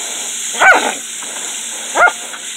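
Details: Border Collie named Dixie cooling off in her pool on a hot June evening, 20 June 2018; two short, sharp barks about one and a half seconds apart over a steady high-pitched background hiss.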